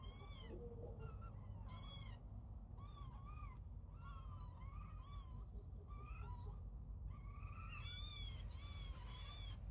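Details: Kittens at play mew insistently, a rapid series of high, rising and falling cries, some squeaky and doubled, over soft background noise.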